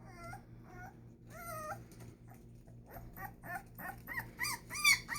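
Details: Presa Canario puppies in Ecuador, born 25 October 2019. Repeated whining yelps, each a wavering, arched tone. They start sparse, then come faster and louder toward the end, with a low electrical hum underneath.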